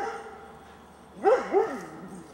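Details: Doberman Pinscher Rudy giving alert vocalizations when asked "What's that?"; after a quiet stretch, two short rising-falling barks close together.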